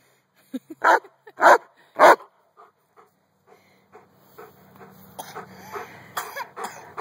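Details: Giant Schnauzer playing outside with a toddler: three loud, deep barks in quick succession, then softer sounds mixed with people talking and commands to sit.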